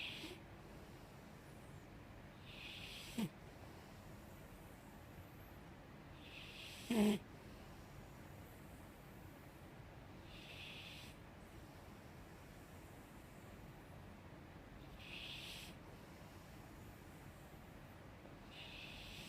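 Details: Five-year-old female Mastiff asleep indoors, snoring unusually softly: faint breathy snores recur roughly every three seconds over a low steady room hiss, with two brief sharp clicks early on.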